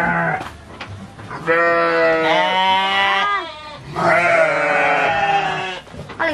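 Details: Garut sheep at Peternakan Domba Unggulan Dangiang, a fighting-sheep farm in Cilawu, Garut, West Java, Indonesia, recorded on a Samsung device: two long, wavering, nasal bleats of nearly two seconds each, the second following after a short pause, with light background noise.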